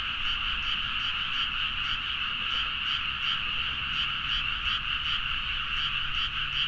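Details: Midnight frog chorus in paddy fields at Nagaoka, Niigata, Japan, captured with a Zoom H4n: many frogs croak at once, a constant dense trill with quick rhythmic pulses standing out above the mass of voices.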